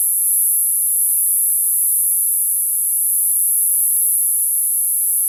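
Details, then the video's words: Summer cicada chorus heard as a constant, thin, high-pitched hiss-like whine, even in loudness from start to finish, with only a few faint low thumps in the background. "Summer cicada, cicada sound"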